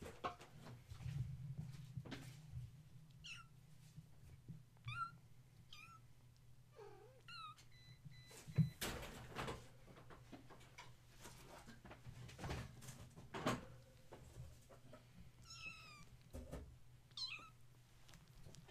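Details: Several kittens of the cat Gaia, woken at bedtime when a space heater was plugged in and now playing and climbing indoors; scattered short high mews, some falling, among thumps, clatter and a low steady hum.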